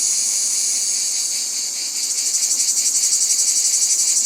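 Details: Cicadas in nature giving a dense, shrill, high buzz that holds steady for two seconds, then swells slightly and takes on a rapid throbbing pulse about four times a second until the end.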